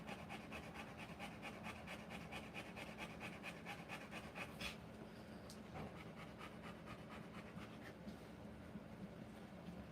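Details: Rottweiler panting while giving birth to puppies; rapid, steady breathy pants repeated about twice per second, evenly spaced for several seconds before becoming softer and less regular, with a faint hum underneath and a sharp click midway.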